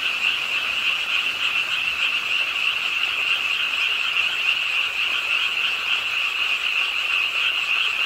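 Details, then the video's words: Frogs croaking in a dense chorus at a pond's edge in Suwon's Ingye Art Park on a rainy late night. A steady, shrill, overlapping trill pulses fast and without pause, with a lower buzzing layer beneath. "비오는 밤 개구리소리, Do you hear the frogs? 비오는 밤 공원 연못 추억의 개구리 소리, Frog Sounds, 빗소리와 함께 듣는 개구리 우는 소리"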